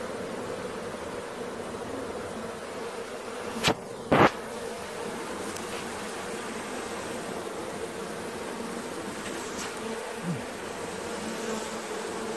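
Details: Honey bee swarm being caught, a dense steady buzzing drone with a strong band in the lower-middle range that holds throughout, broken by two sharp knocks near the four-second mark and a faint click later.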